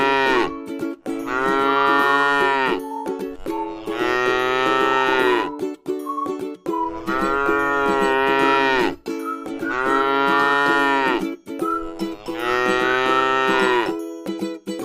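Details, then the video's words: Tame cow eating grass in a rice field moos five times in a regular rhythm, roughly every two and a half seconds, each call full and droning, accompanied by background music. "suara sapi lucu jinak yang sedang makan rumput di ladang sawah"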